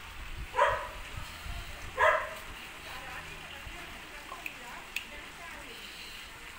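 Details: A German Shepherd puppy at play, described as an Indian champion, gives two short sharp barks about one and a half seconds apart, followed by quieter background noise.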